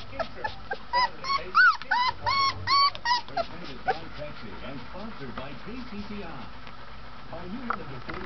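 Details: A 20-day-old Golden Retriever puppy whines in a quick burst of high, arched, squeaky notes, several per second, that then fade into softer, lower whimpers. Human voices sound in the background.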